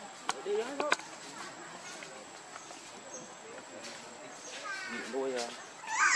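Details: Baby monkey named Lucie crying for milk, hungry and foaming at the mouth; short harmonic wails rising and falling near one second, then a longer wavering cry near five seconds, with background noise and a high steady tone.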